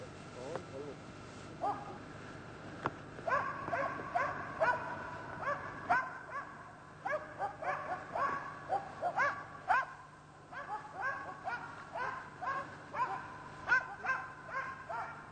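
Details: Karelian Bear Dog hunting a European brown bear, barking in rapid, uneven volleys of sharp, harmonic yelps and barks, roughly two per second, with some rising whine-like notes; steady low hum underneath.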